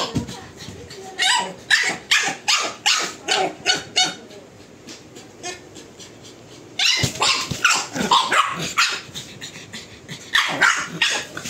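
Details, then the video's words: Pug barking: a rapid run of short, sharp yaps roughly two or three a second for several seconds, a brief pause, then another burst of quick barks. "dog barking (pug bark)"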